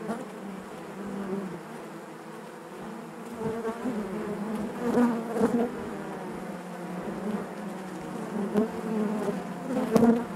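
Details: Western honey bees (Apis mellifera) inside their hive make a steady, low humming buzz of many wingbeats blended together.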